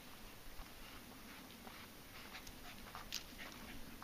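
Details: Panting American Bulldogs on a hillside hike, among them 8-month-old Gruice weighing 80-plus pounds; airy, uneven huffs follow one another closely, with a faint higher whine-like click and constant background hiss.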